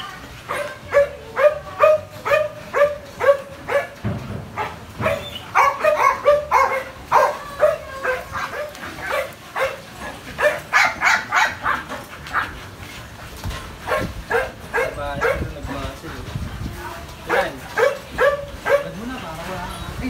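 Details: Belgian Malinois almost two years old barking in steady runs: sharp, mid-pitched barks repeated about twice a second, some clipped and some slightly whiny, with brief pauses between bursts.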